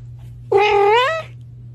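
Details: Kitten giving a single drawn-out meow of under a second, steady in pitch then lifting slightly at the end, over a constant low electrical hum.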